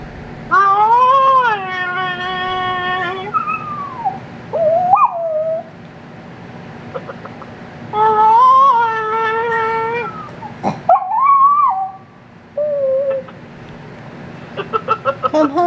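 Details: Riley, a female chihuahua-dachshund pet in Nashville, Tennessee, 'talks' on the phone while waiting for her owner to come home: wavering, long harmonic howl-whines in two bouts, with shorter yelps between and light clicking near the end.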